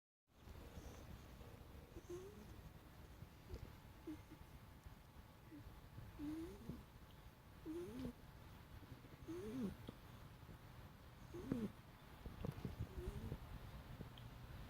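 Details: Dream, a pet cat, catches some sleep and snores softly indoors: faint, squeaky, wheezing whistles that rise and fall with each breath, repeating roughly every one and a half to two seconds over a low, steady room hum.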